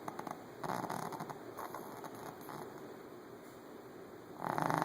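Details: Shih Tzu dog snoring in its sleep, rough rasping breaths rising and fading unevenly, a quieter stretch, then a louder harsh snore building at the end.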